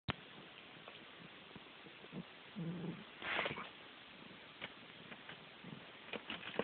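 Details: A male Ragdoll cat who loves his basin gives a brief, low, murmured meow amid soft rustling and knocks.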